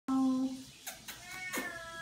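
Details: Vocal female Siamese cat chatting with its owner indoors: a flat, steady half-second meow, followed by several sharp noisy bursts and a fainter drawn-out cry fading in behind them.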